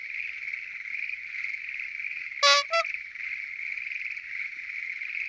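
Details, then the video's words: Chorus of Schlegel's green tree frogs at night at a lotus pond: a dense, steady mass of overlapping trilling calls at one even pitch, with one louder, abrupt harmonic call bursting out briefly near the middle. "Noisy? Green Tree Frogs Chorus! !"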